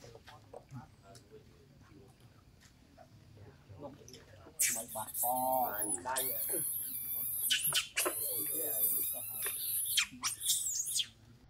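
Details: Young monkey named Rainbow crying loudly after Libby slapped her, kept at Abandoned Monkey Life; quiet background gives way to shrill, harmonic-rich wailing screams, sustained and repeated in long bursts through the second half.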